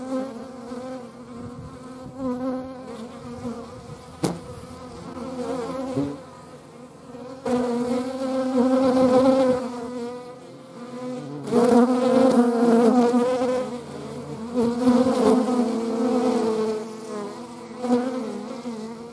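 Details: Hornet in flight alongside wasps and honey bees, giving a droning, harmonic-rich buzz that rises in bursts around eight, twelve and fifteen seconds as insects pass near, plus a single sharp click near four seconds.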